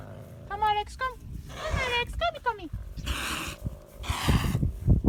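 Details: Captive caracals, territorial animals shown with a guide at feeding time, fighting and hissing: short falling tonal cries, then two harsh, breathy hiss bursts around the third and fourth seconds, with a person's voice and low rumbling in the background.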